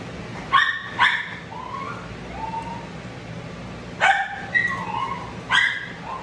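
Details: Matted Shih Tzu, a male with no tolerance for discomfort, being dried and biting from pain: short sharp harmonic yelps near the start and again around four and five and a half seconds, thin whining tones between, low steady hum underneath.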